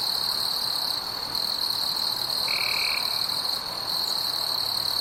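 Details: High, constant insect droning fills a nocturnal forest, steady in loudness, with one short, level, lower-pitched tone midway and faint higher bands layered above.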